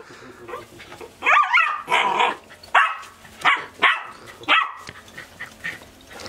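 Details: A sheepdog barking at sheep at a sheepfold: a run of about seven sharp, loud barks at irregular intervals, followed by softer yips at the end.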